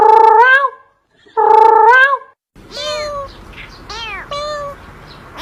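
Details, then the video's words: Domestic cat meowing in a cute, funny compilation: two long, tonal meows with rich harmonics that bend up and then down, then a quieter run of shorter arching, higher cries over a steady background hiss. "cute and funny cat sound video compilation"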